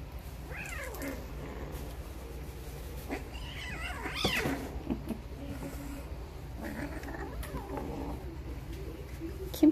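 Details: Female Geoffroy's cat kitten, six weeks old, recorded 25 August 2021 while playing; several high, wavering mews sweeping up and down, scattered through the stretch, with a woman's soft coaxing voice in between.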